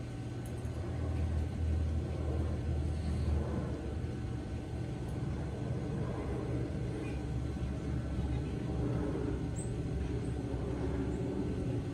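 Steady low vehicle rumble with faint distant voices, and no animal calls.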